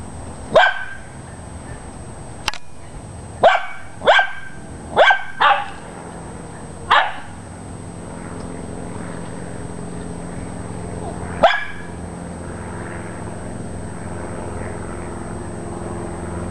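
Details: .Dachshunds chasing a squirrel bark in sharp single yaps, six quick barks in the first seven seconds and one more near eleven seconds, over a steady low background hum.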